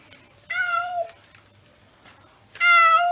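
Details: Cat with his head stuck in a pretzel bag, indoors: two clear drawn-out harmonic meows, the first about half a second long, the second louder and slightly rising at the end, with quiet background between.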